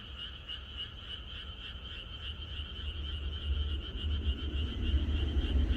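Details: A countryside frog chorus on the night before rain continues as rapid pulsed croaking, increasingly overlaid by a heavy low rumble that grows louder toward the end.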